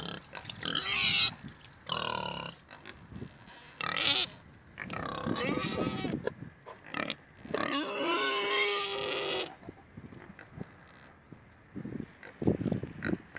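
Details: Pigs, two pot-bellied and two Mangalicas, letting out a series of loud, harmonic squeals in bursts lasting about a second each, separated by brief pauses, some squeals long and wavering, with lower grunting underneath.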